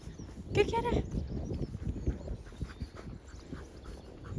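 A husky gives a brief, wavering, voice-like yowl that rises and falls, followed by low thumping noises.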